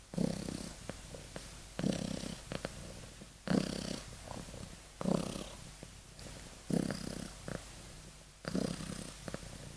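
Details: Deeply asleep kitten snoring, gentle rhythmic rasps on each breath repeating roughly every one and a half seconds, low and soft in a quiet room.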